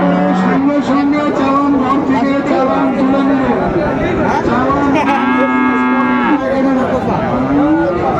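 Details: Friesian and crossbred bull calves at the Raniganj cattle market in Dinajpur on 28 November 2024: long, steady, low mooing, one near the start and a second, longer moo midway, over constant crowd chatter and bargaining voices.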